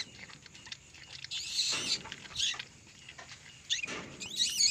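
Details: Asian palm civet mother right after giving birth to three young: bursts of high, thin, scratchy squeaks come in short clusters about a second apart, loudest near the end, over a low background hiss.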